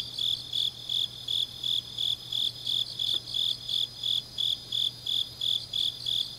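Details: Autumn-night grass insects from Changnyeong, Korea: evenly spaced shrill chirps at close to three per second, very steady throughout, with a quiet background hum and a constant thin high tone.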